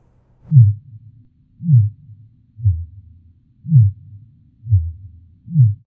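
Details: Fin whale song, sung by males and heard more in winter mating season: deep, downswept pulses repeated at a steady pace, about one each second.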